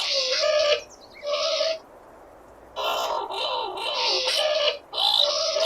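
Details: Skunk squeals: two short tonal cries, a pause, then a longer, rougher stretch of wavering squealing with raspy noise, ending in another clear squeal.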